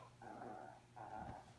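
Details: Italian teacup Yorkshire Terrier puppy indoors, obsessed with playing ball and bringing it back; two drawn-out, tonal whines about half a second each with a short gap between, steady pitch, over a low electrical hum.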